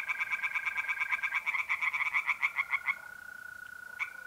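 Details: Tree frog at a pond on an April night in North-East Italy gives a fast series of about seven sharp croaks per second, over a steady tonal mole cricket trill that continues after the frog stops.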